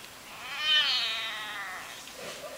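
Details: Domestic cat making an unusual drawn-out meow, a rising then slowly falling whine lasting over a second, while its owner talks to it indoors.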